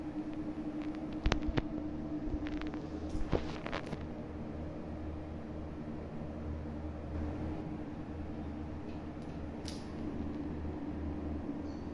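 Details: Steady indoor hum, like a fan, with scattered clicks and knocks, and no animal voice.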